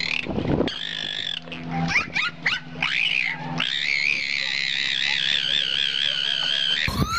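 Dolphin whistles: high, wavering tones that rise and sweep, ending in one long trilling whistle.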